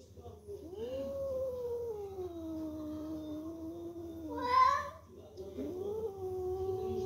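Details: Drawn-out yowling meows from kittens indoors. One long call slides gradually downward, then a brief harsh burst, then another sustained meow begins. Hindi speech is heard nearby.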